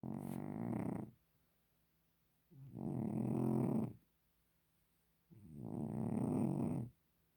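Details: Domestic cat snoring: three long, low, rasping breaths of about one to one and a half seconds each, separated by quiet pauses of roughly one and a half seconds, with no other sounds.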